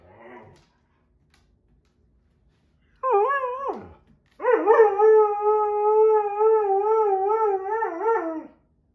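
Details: Husky-Malamute dog howling in displeasure while two other dogs play nearby; a brief faint sound, then a short falling howl, then a long steady wavering howl held about four seconds with rich harmonics, ending in a quick dip.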